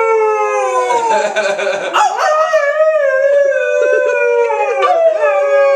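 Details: Trixie, a pet Alaskan Malamute, howls along with her owners: long sustained wavering tones that slide slowly downward, with human voices joining the howl around the second second.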